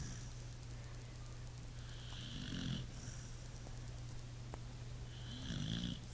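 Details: Pit bull snoring in its sleep, two gravelly, rumbling inhaled snores about three seconds apart, each with a faint whistling edge, against a steady background hum.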